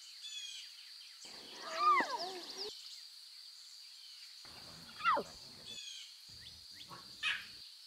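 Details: Wild lion cubs near their mothers utter several curving, harmonic meows, one drawn out and wavering, then shorter falling cries, against a steady high insect hum and faint bird chirps.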